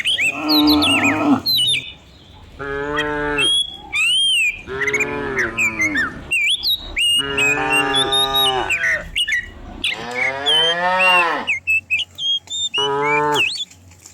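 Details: Dozens of cows herded down a hill in the morning through quiet village countryside; a series of long, drawn-out moos, several overlapping, each with a falling end, while small birds chirp and whistle high above throughout.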